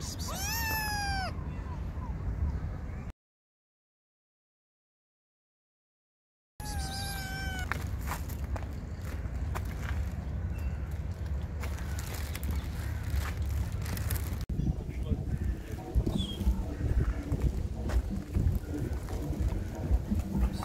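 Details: Hungry stray kittens and their mother cat being fed outdoors, with high, falling meows repeated quickly in the first seconds and again briefly later, followed by rustling, handling noise and faint voices.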